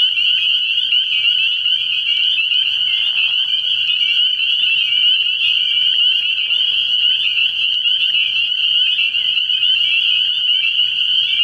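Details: Early-year night chorus of spring peepers at a frog pond: countless piercing high peeps blend into a continuous shrill drone, with a brief soft lower sound around the third second.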